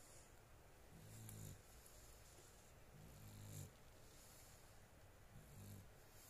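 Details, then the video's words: Sleeping female dog snoring softly. Three low, rumbling snores come roughly every two to two and a half seconds over a steady background hiss in a quiet room. "My dog snoring"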